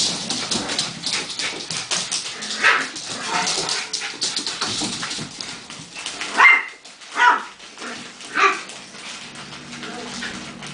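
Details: Miniature Schnauzer puppies playing with Daddy bear and a crisp packet; crackling packet rustle fills the first six seconds, then three short, high yips ring out roughly a second apart over quieter scuffling.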